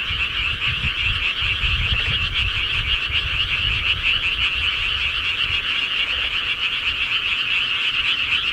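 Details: Night chorus of country frogs, a constant shimmering wall of quick high-pitched croaking from numerous callers, over a soft low rumble in the background.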